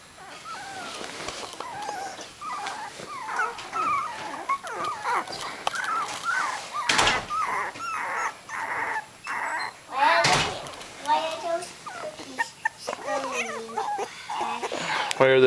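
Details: A litter of three-week-old miniature dachshund puppies, eyes just open, whimper and yip continuously in overlapping high squeals and wavering cries, rising and falling, with a few louder sharp bursts and rustling movement.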